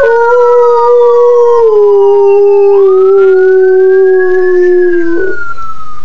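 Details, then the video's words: A dog howls at an ambulance siren with one long, sustained tone that gradually sinks in pitch before breaking off; the siren glides up and down more faintly in the background. "Dog howling at ambulance siren"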